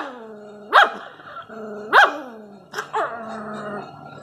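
A Rottweiler puppy growls steadily, breaking into sharp, high yapping barks about every second.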